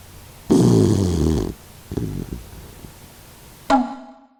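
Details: Kokomaro, a 16-year-old Doxiepoo mix dog with stomach cancer, snores in sleep: a one-second harmonic rumble, a brief rattling breath, then an added ringing chime-like sound effect that decays to silence.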